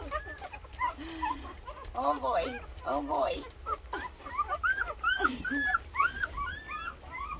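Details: A litter of 13 two-week-old Rottweiler puppies nursing, squeaking and whining almost continuously in short, overlapping, rising-and-falling squeals and thin whines, with a few lower, throatier grunts.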